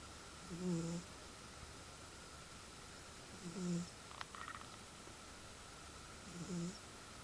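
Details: A sleeping pet cat snores loudly. Three short, low, throaty breaths come at a steady pace of about one every three seconds. A brief faint click is heard between the second and third snore against a soft background hum.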